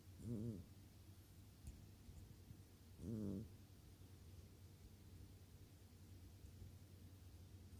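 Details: Snoring from a cat asleep: two short, rough, low, buzzy breaths about three seconds apart, then quiet low hum.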